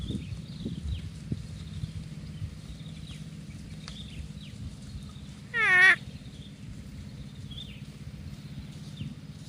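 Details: Water buffalo from a grazing herd giving a single short, strained, wavering bleat, an 'uwwek' lasting under half a second, mid-clip; low rumbling grazing noise and faint bird chirps run throughout.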